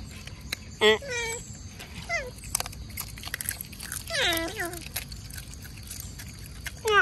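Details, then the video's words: Otters calling at mealtime when mullets return: sharp high squeals and short downward-sliding whines, scattered across several seconds with gaps, over a low outdoor hiss and light clicking. "Mullets Return The Otters’ Mealtime Today"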